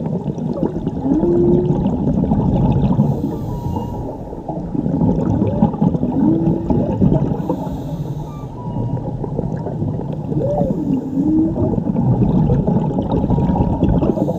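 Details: Whale song from a mother and calf, recorded underwater while diving in Mexico: low, swooping upsweeps that rise and then level off, coming about every four to five seconds over a steady hiss and rumble of water.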